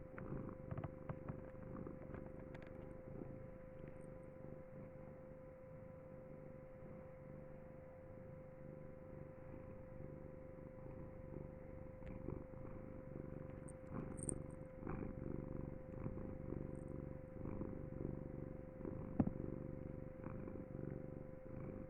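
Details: Pet cat purring without a break, a deep, even rumble pulsing steadily in rhythmic waves, over a steady background hum and a few faint soft clicks.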